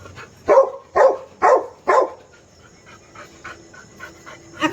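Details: Snoopy, a dog trying to get a baby cat to play, gives four short, sharp barks about half a second apart, then quiet indoor shuffling and a faint voice.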